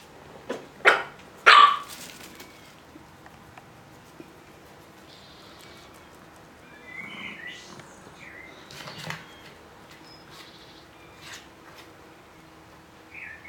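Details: Chihuahuas on 16 July 2015: one gives two sharp, high barks, followed by softer, scattered yips.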